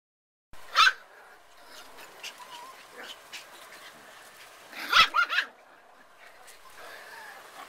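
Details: Puppies playing on their first time outdoors let out sharp, high yelps near the start and a cluster of three yelps around the middle, with soft whimpers and rustling between them.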